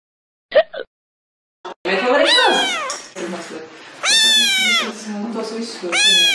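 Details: Pet cat giving several loud, drawn-out meows with arching pitch, some wailing and rising then falling, after brief bits of human speech at the start.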